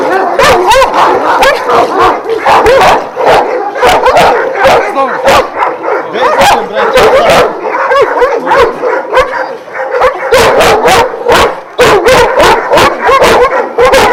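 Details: Twelve Šarplaninac dogs of Vujanski lineage kept at a breeding kennel in Jasika near Kruševac, Serbia, barking continuously and densely, many voices overlapping in rapid repeated barks for the whole stretch.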